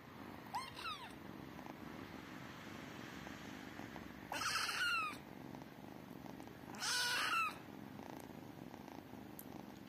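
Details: Tiny kittens purring, a low steady rumble underneath three loud high mews, one short early and two longer descending cries a few seconds apart.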